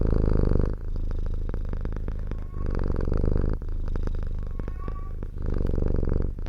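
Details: Cat living in the countryside purring up close, a low throaty rumble in three long swelling phases separated by short quieter breaks, a faint thin squeak near the end.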